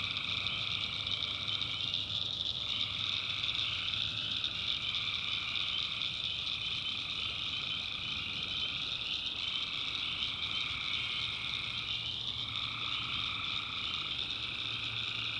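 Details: Tree frogs calling at night in the backwoods of North Carolina, swamp setting: a dense, unbroken chorus of layered trilling voices whose pitch dips and swells in slow waves every few seconds, over a faint steady low hum.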